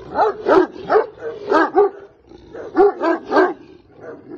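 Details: Caucasian Shepherd Dog, called volkodav, giving deep rough barks in two bursts of about four barks each, a short pause between, loud and close.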